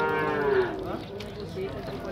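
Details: Nelore cattle at a cattle fair in Tabira, Pernambuco, Brazil, being sorted in the corral: one loud, rich moo that slides downward and fades within a second, with crowd murmur behind.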